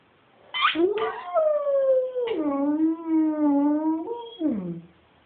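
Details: Pet dog Chooch 'singing' in one long harmonic howl: it starts high, slides down, then holds a steady low tone for about three seconds. After a brief break, a final note drops away.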